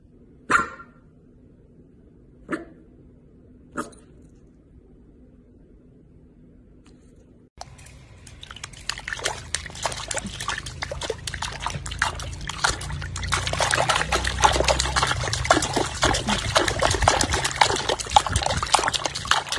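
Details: Corgi, a pet dog, gives three short, sharp barks about two seconds apart against near silence. A dense, continuous stretch of broadband scratching and rustling noise follows and fills the rest.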